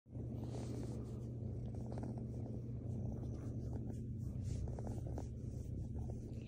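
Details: Mazie, a female rescue kitten, purring while snuggling; a steady deep rumbling purr runs throughout under loud rustling and handling noise.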